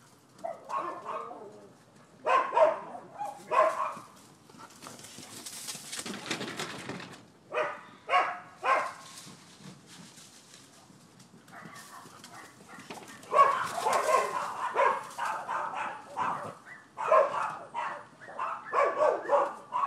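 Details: Neighbors' dogs recorded on 7 December 2015, giving scattered sharp barks in short clusters, with broad rushing noise bursts in between and a denser run of barking late on.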